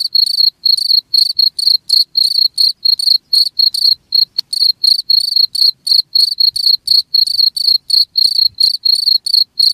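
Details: Cricket song intended to keep rats from an area, a regular stream of piercing high chirps at roughly four a second, one short gap with a click partway through and nothing else audible.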